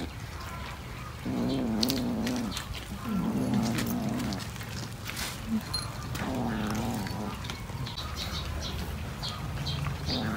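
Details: A cat gives low, wavering, moaning yowls in three drawn-out bursts of one to two seconds each, separated by short pauses, over a steady rumbling background with scattered clicks and rustles.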